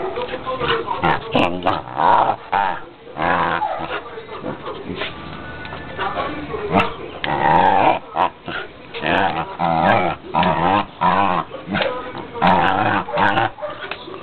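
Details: Playful female pet dog barking on command when her owner raises a fist, a trick she was taught. Repeated loud barks and yelping vocal bursts come in irregular series, with people's voices mixed in.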